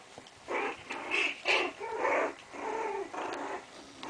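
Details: Chinese Crested dogs playing together, giving a run of harsh, rasping play growls in short bursts about half a second long, rising and falling in loudness with brief pauses between them.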